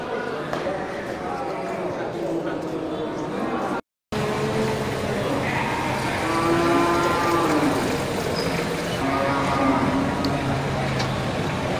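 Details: Local bulls ready for slaughter at the Geulumpang Payong livestock market, 8 May 2021. Low, drawn-out moos rise from a busy market around the middle and toward the end, over steady crowd chatter and general bustle.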